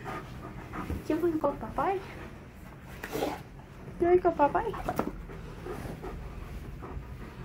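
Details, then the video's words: Persistent male Alaskan Malamute at home demanding attention as his owner returns; two bursts of wavering, up-and-down whining 'talk' about three seconds apart, with panting between and the owner's voice answering. "PERSISTENT MALAMUTE!!!!!!"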